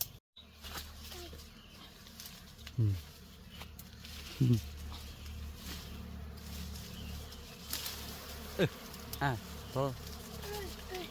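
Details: Bees buzzing during a rainy-season honey harvest, a low steady drone with a few brief rising chirps and people talking nearby as smoke is used on the hive.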